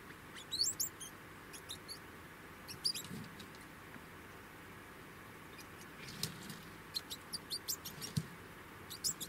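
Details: Degu uttering sharp, squeaky high chirps in short scattered clusters throughout, separated by brief quiet gaps, with a few faint low thumps beneath.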